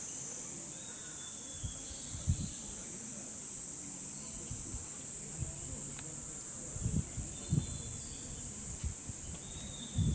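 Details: Cicadas at Hokokuji Temple's bamboo forest, Kamakura, Japan, in summer, their sound clipped and repeated. A constant high sizzling drone dominates. Low thuds and knocks recur throughout, and faint thin whistles can be heard.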